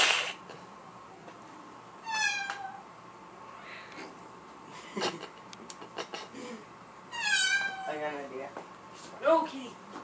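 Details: Black-and-white mother cat indoors, hostile toward her black kitten just returned from another home; two loud descending harmonic meows about five seconds apart, a shorter rising cry near the end, with human speech and clatter between.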